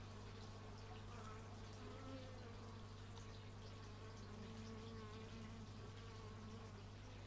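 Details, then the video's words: Continuous low hum of bees captured outdoors on an x/y stereo microphone; the drone stays even throughout, with thin rising and falling overtones weaving above as individual insects pass. "Bee movie but its just bees, and not the movie"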